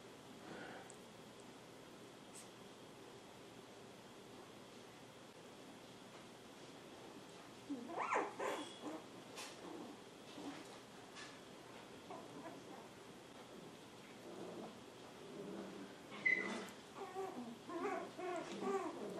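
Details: Texie's 7-week-old poodle puppies, Honey and Emma, healthy and energetic, giving scattered short yips and barks indoors after a quiet start, with soft rustling between the bursts.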